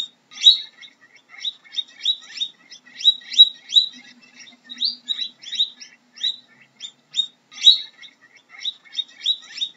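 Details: Short, sharp guinea pig squeaks follow one another in quick irregular runs, some louder, higher accented notes standing out, and a soft low hum in the background.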